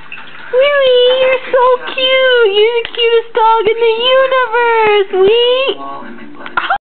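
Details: A Jack Russell Terrier gives drawn-out, wavering howls, with brief breaks between long tones, while watching another Jack Russell Terrier on a computer screen.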